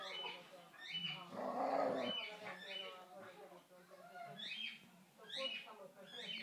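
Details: Two playing dogs, Kofi the Boxer and Kiko the Basenji, trade a dense, grating growl in the middle with shrill rising-falling whines scattered before and after, over low continuous rumbling.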